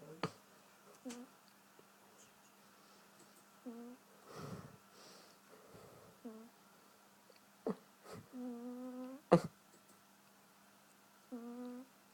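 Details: Funny snoring from a sleeping cat, heard as short nasal humming tones with a buzzy edge, several spaced irregularly through the clip, mixed with soft breathy rushes and occasional sharp knocks indoors.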